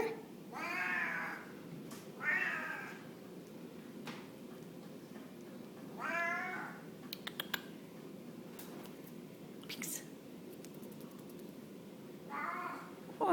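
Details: A male Blue Mink Tonkinese cat seeking attention gives long, wavering meows that rise and fall, repeated every few seconds in a quiet room, with soft clicks, household rustles and brief human speech between.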